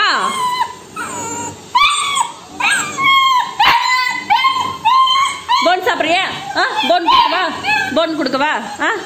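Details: While her owner prepares food and talks to her in Tamil, a female Labrador Retriever puppy keeps pleading with quick, high, wavering whines and yips that crowd closer together toward the end.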